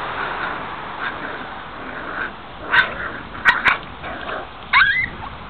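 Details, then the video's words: Five-week-old puppies from the 2009 Guardian and Skye litter, kept in a front-yard pen on a mild afternoon: a few sharp high yips after a quiet start, then a rising whine near the end, over steady background hiss. "2009 Litter Guardian & Skye Pups a 5 weeks old"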